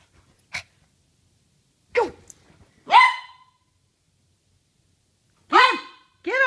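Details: A Poodle at playtime letting off steam while a second dog waits, giving five high, sharp barks and yips spaced irregularly over several seconds. The last two come close together, with quiet gaps between.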